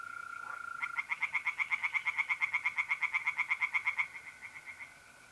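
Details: Night chorus of tree frogs in a pond, mid-April, north-east Italy: one fast train of about thirty sharp, regular pulses lasting three seconds, set against the continuous even trill of mole crickets.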